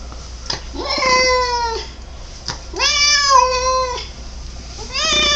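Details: Domestic male cat making odd drawn-out meows: three long harmonic-rich calls, each rising then holding steady before dropping, spaced about two seconds apart, indoors with a faint low hum.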